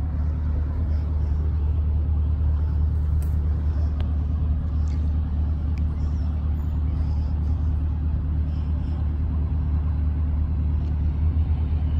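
Steady low rumble of road traffic and engine noise throughout, with no animal calls.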